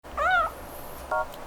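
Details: A female kitten making a happy sound while being touched: a short, wavering, harmonic meow, then a brief higher chirp-like note; soft background music.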